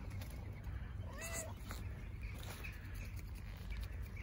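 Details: Stray tabby cat, one of the street cats fed by a volunteer, wanting affection rather than food; a single short meow with clear harmonics, rising then falling, over steady outdoor hiss and insect-like buzzing.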